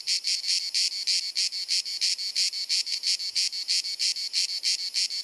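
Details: Croatian summer cicada, Dalmatia, hot sunny afternoon: clear separate raspy chirps repeated about three times a second in a steady rhythm, each a short bright buzz, shot with a Panasonic Lumix DC-TZ90.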